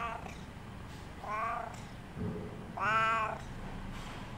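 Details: A pet cat wanting company, recorded on 2017-07-25, gives three meows of rising loudness. The last is the longest and strongest, with a soft low chirp just before it, over a quiet room hum.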